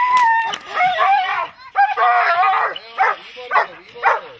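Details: A dog barks during protection training. A person's voice comes first, then a run of gruff barks gives way to single barks spaced about a second apart.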